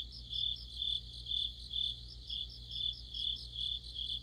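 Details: Chorus of crickets and insect companions in mid-autumn, high shrill trills rising in loudness in even bursts around every half second, accompanied by a continuous low humming background.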